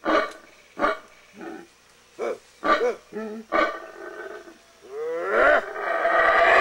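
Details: Wild black howler monkeys in Belize, near the Baboon Sanctuary: spaced gruff barks and arched grunts, a second or so apart, building into a rough continuous roar at the end.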